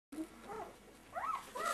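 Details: Two-week-old Siberian Husky puppies at their first meal give short arched whines that rise and fall, one near the start, then a pair close together about a second later, over a low room hum.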